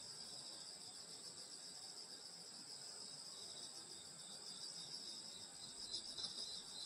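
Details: Countryside summer night insect chorus near a grandmother's home in rural Korea, several high continuous trilling bands layered together, pulsing slightly, unbroken for the whole stretch, with soft low background hum.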